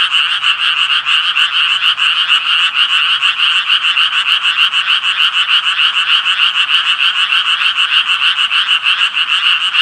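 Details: Loud Japanese tree frog chorus of sharp, clicking, rapidly repeated croaks blending into a continuous rattling buzz, with a faint low hum briefly audible beneath.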